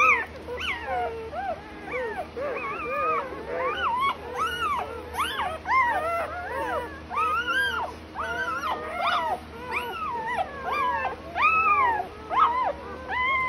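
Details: Doodle puppy from a farm, recorded 25 September 2020: a long series of arched, whistly whimpers and yelps, each rising then falling, repeated about every half second with brief pauses, over faint constant hum.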